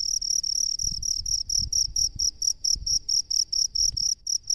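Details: A rice-field cricket gives a steady run of shrill, high-pitched chirps, roughly three to four per second, over soft low thumps and rumbling in the background.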